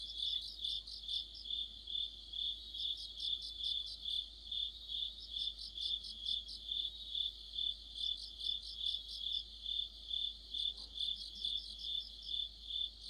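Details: Crickets and other insects in an autumn night chorus, with a streetlight mentioned. A steady high chirping band pulses about twice a second, overlaid by bursts of faster trilled chirps from a second caller every few seconds.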